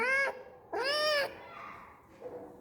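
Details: Domestic cat giving two clear, drawn-out meows, the second longer and arching in pitch, followed by a faint softer mew; a person talks in Tamil around the calls.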